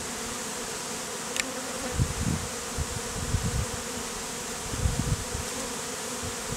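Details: Honey bee beard on a man's face, bees hived out of a statue; steady buzzing hum partly covered by repeated low rumbling thumps and handling noise.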